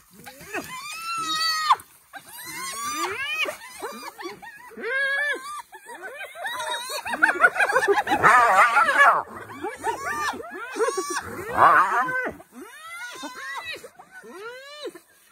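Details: Excited spotted hyenas in Africa pouring out a continuous stream of short, rising-and-falling harmonic yelps, layered and overlapping, with harsher noisy bursts in the middle of the sequence.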